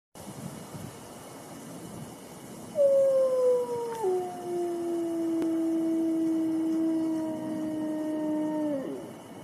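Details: Wolf howl: a single long, smooth tone beginning around 2.8 seconds, starting higher, stepping down once, then holding steady for about six seconds before fading, over a steady low hiss.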